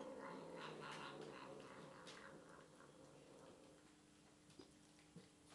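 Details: Eating leftover chicken stir fry indoors, the house cat Misty gives a throaty, harmonic murmuring call lasting about two seconds, fading into quieter chewing with a couple of sharp clicks.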